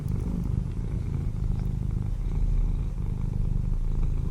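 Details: Domestic cat belonging to a neighbour, visiting a cottage garden in the English countryside, purring steadily: a close, unbroken low rumble with a gentle pulsing rhythm and no other clear sounds.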